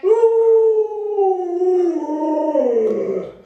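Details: An Alaskan Malamute named Luoluo howls beside its owner, who is too sick to get out of bed. One long, smooth howl starts high and slowly glides downward, then wavers and breaks slightly as it fades at the end.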